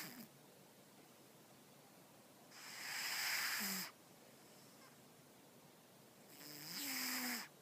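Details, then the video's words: Stella, a pet cat, snores while asleep, giving two long hissing, breathy snores about four seconds apart, each closing with a soft low tonal squeak, with near silence between them. "My cat snores"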